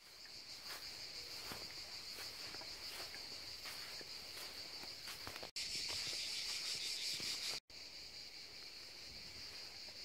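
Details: Cicadas singing by the seaside: a steady, high, continuous buzzing drone with faint rhythmic pulsing, briefly cut by two short silent gaps, over soft low background noise.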